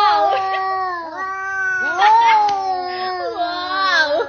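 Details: Domestic cat indoors giving long, drawn-out wavering yowls, several overlapping voices sliding up and down in pitch over about four seconds with little pause between them.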